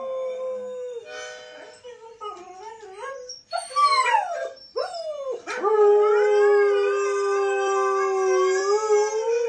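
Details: A Siberian Husky "sings" with his husky friends in the snow, howling together in drawn-out, wavering tones that slide up and down before settling into one long note.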